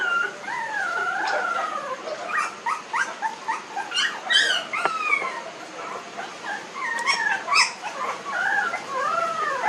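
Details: Newborn puppies, nineteen days old, whining almost without pause: long sliding, wavering cries that rise and fall, overlapping with shorter sharp squeaks.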